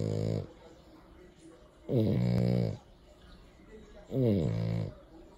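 A French Bulldog snores loudly, each breath a deep, buzzy rattle with a rough, vibrating tone. The snores come in steady bursts about two seconds apart, with quiet breathing between them.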